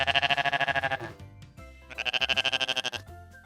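A goat gives two quavering, nasal bleats, each lasting about a second with a fast tremolo, separated by a short pause; faint music hums underneath.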